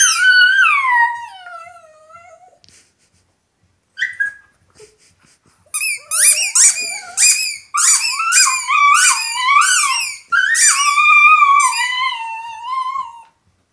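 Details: A female Italian Greyhound "singing" with her toy opens with a drawn-out howl that slides steadily downward, then after a pause breaks into quick warbling, rising-and-falling high yodelling howls and yips, several each second.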